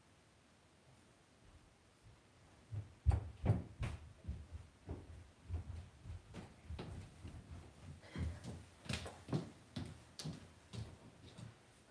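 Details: Indoor puppy pen with scattered knocks, thumps and door-like clatter against a quiet background; no animal calls stand out.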